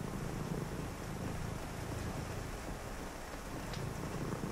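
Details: Purring cat on a rainy night, a continuous deep buzzing rumble with slight pulsing, softly masked by an even wash of rain noise.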